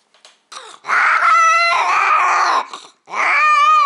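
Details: Domestic cat during a first mating, a loud, strained yowl close to the microphone: two long, harsh, tonal wails with a brief break between them, indoors.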